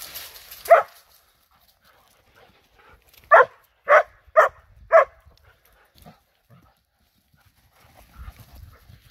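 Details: During play among a Borzoi, a Golden Retriever and a Poodle, a lone bark is followed after a pause by a run of four evenly spaced, punchy barks about half a second apart, then quiet shuffling.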